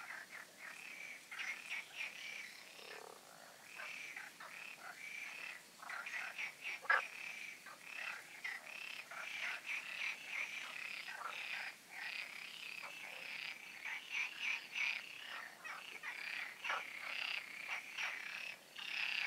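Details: Night-time frog chorus from the ponds of the Oasis, recorded before the full moon: dense overlapping rasping croaks in short pulsed bursts, many callers at once, steady and continuous with brief dips.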